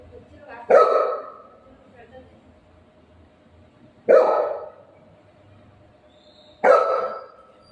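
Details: Golden retriever dog playing with its owner at home, giving three loud, sharp barks spaced roughly three seconds apart, each a sudden harsh burst that fades quickly, with quiet background between them.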